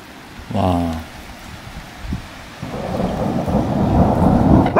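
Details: Lena, a female Border Collie born in November 2014, barks at a thunderstorm. One loud, harmonic, slightly falling bark is followed by rumbling thunder and steady rain that grows louder.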